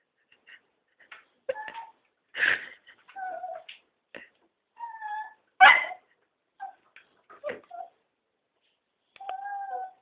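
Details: Begging to go for a walk, three Cocker Spaniels mix rising and falling whines with two loud, rough bark-like outbursts and a few short yips, spaced unevenly across the stretch.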